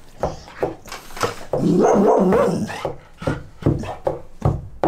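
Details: A female golden retriever tries to unbox her biscuit dog treats. She gives a series of short, sharp barks with a louder, drawn-out voiced stretch in the middle. Barks come in quick, irregular succession.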